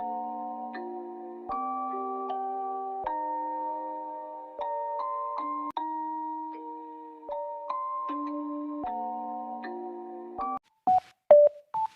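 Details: Gentle glockenspiel lullaby with sustained chiming notes changing every second or so, ending in a few short bell-like tones; no animal sound present.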